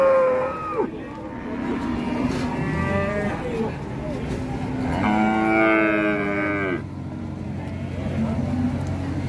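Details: Qurban cow rampaging down from a truck at Pasar Siyono Harjo, Indonesia; a bright, loud, sustained moo of nearly two seconds dominates, with fainter lowing before it and continuous background noise.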